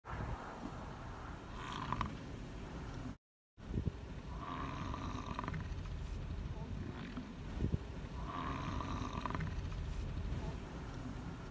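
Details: An American bison at Yellowstone growls at the people recording it, giving low, throaty growls in rough bursts every few seconds over a steady low rumble, perhaps wind or an engine, with a brief gap.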